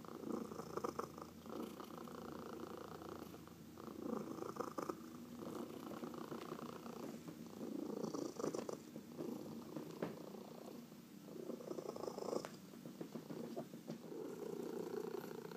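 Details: Massaged domestic cat purring indoors, from a home with four cats including two adopted seniors; long steady purr pulsing with breaths, alternating louder and softer stretches, occasional brief clicks and hand-on-fur rustles.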